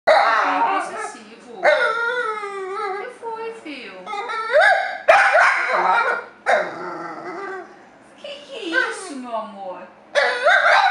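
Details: A male dapple piebald Dachshund, angry that another dog sits on his owner's lap, grumbles and whines in long, sliding, voice-like moans, sounding as if talking back in complaint.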